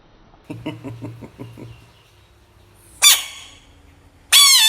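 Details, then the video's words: Mini bullfrog: a run of low, rapid, knocking pulses, then after a pause two loud, harsh, high screams, the last one held longer. "Brave mini bullfrog protect money 💵 frog sounds"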